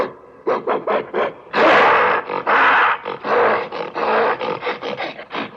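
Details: Angry gorilla roaring: a run of short, harsh, rasping bursts, then long loud rough roars around the middle, broken by more choppy grunting pulses, with no other sounds.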